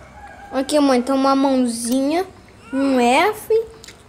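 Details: While nursing on the black mother, Rottweiler puppies give loud, clear squeals: a long wavering cry, a second rising-then-falling squeal, and a short high squeak to finish.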